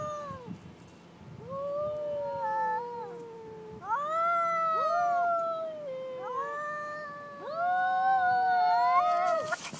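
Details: Two cats facing off aggressively, loud overlapping wails bending up and down in pitch, several calls stacking in quick succession, ending with a noisy burst.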